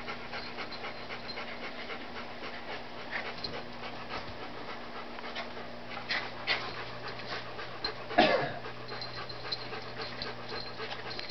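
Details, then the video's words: Papillon and Miniature Dachshund puppies at play indoors at work, with occasional spats; continuous fast panting and scuffles, one sharp yelp-like burst near the middle, steady low hum throughout. "Daphne and Charlie playing"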